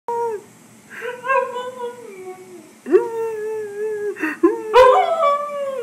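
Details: Husky howling indoors as if telling its owner about its day: long, wavering tonal howls that slide slowly downward, with a short rising yelp near the end and a brief higher burst between phrases.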